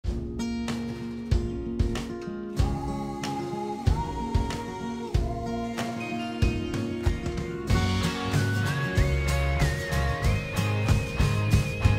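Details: Upbeat guitar music with regular strummed beats and a rising melodic line in the second half.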